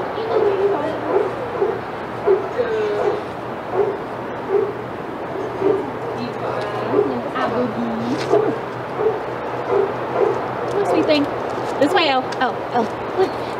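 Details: Excited barking from senior sanctuary dogs in the Outside Yard at Old Friends Senior Dog Sanctuary as Titus passes; repeated short barks mixed with a person's speech and a few high chirps late on.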